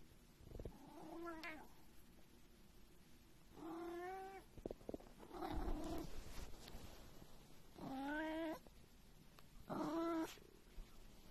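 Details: Cat making low, moaning meows, four or five drawn-out calls spread across the stretch, with rustling and background noise between them.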